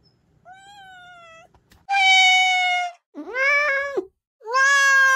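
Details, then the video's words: Mountain-village kitten meowing, in a recording meant to repel country rats: a faint, thin meow followed by three loud, drawn-out, harmonic-rich meows, the middle one bending upward then falling, in a quiet room. "고양이 울음소리 ASMR 시골쥐 퇴치용 효과"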